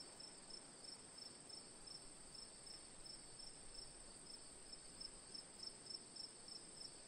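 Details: Crickets chirping as sleep and relaxation ambience: rapid high chirps repeated about three or four times a second over a continuous, even higher ringing trill, with a soft steady hiss beneath.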